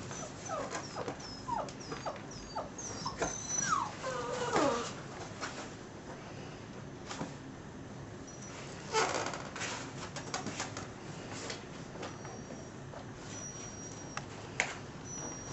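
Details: Six-week-old puppies from a litter of ten, sired by an American Staffordshire terrier out of a Border collie/German shorthaired pointer mother, whimpering indoors: rising and falling squeals and thin high squeaks over the first five seconds, then scattered faint squeaks amid rustling and knocks.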